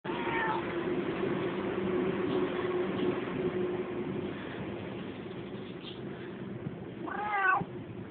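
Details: Friendly cat living near a house meowing twice: a rising-falling harmonic meow at the start and a louder arched meow near the end, with a steady low hum and background noise throughout.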